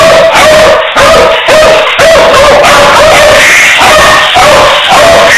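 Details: Beagle giving loud, distorted barks, a rapid series of short yelping bays about two per second with brief gaps between.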